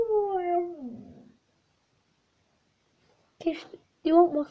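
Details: Tisha, a pet dog indoors, gives a long harmonic moan sliding downward into a rough grumble, then after a pause two short strained whining yelps.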